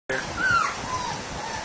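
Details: Puppy giving a single high whining whimper that rises then slides downward, followed by a softer trailing whine over low background rumble.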